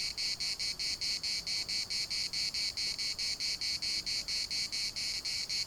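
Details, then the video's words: Chorus of cicadas at Larnaca's municipal park, a shrill rasping buzz broken into even pulses roughly four times a second, evenly sustained across the whole stretch. "CICADAS at the municipal Park Larnaca"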